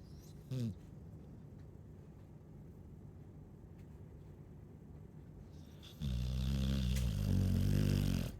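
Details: Chow Chow snore: a brief rising snort early on, a long quiet pause of steady breathing, then a loud, drawn-out low rumbling snore over the final two seconds.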